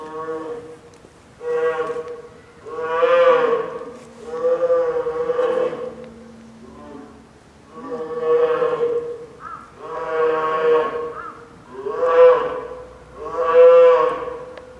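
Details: Nine-month-old female polar bear cub Lila fussing, apparently hungry, beside her mother Lala at Maruyama Zoo, Sapporo, during a typhoon rainstorm around 11 a.m., 2 October 2015; strained, harmonic wailing cries in about seven bursts, each rising and fading.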